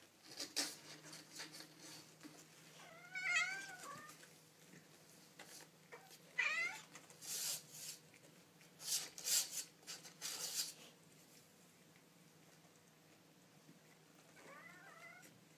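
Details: Baby kittens making cute noises: several thin, high, wavering meows, each rising then falling with rich overtones, heard around three, six and a half and fourteen seconds, separated by soft tapping and scuffling clicks over a low steady hum.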